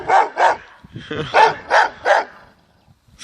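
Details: Dogo Argentino barking: five loud, deep, rough barks in quick succession over about two seconds, with a brief lower grumble between the second and third, then quiet.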